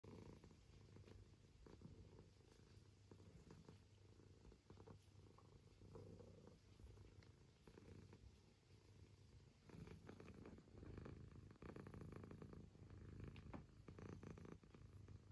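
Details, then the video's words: Pet cat purring close up indoors, a low steady rumbling throb with soft rhythmic pulses, growing somewhat louder after about ten seconds, with faint clicks and rustles in the background. "cat Purring"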